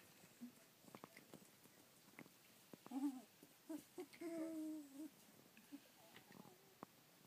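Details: Rough collie puppies, born 27 February 2013 and filmed at 25 days old on 24 March 2013, give faint scattered whines with one longer level whimper near the middle; clicks and rustling in a quiet room.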